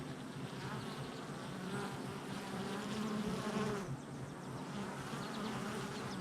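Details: Honey bees coming and going at a hive entrance on July 22nd, 2024; a busy, overlapping buzz with a louder bee sweeping past mid-clip, its hum rising then dropping before the background drone continues.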